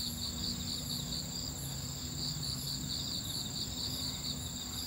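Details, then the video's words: Crickets chirping at night at a campsite on Ganghwa Island, South Korea, after rain: steady, continuous high-pitched trilling pulses in several bands, with a constant low hum underneath. "Tiếng dế ở đây nghe rất hay phải không?"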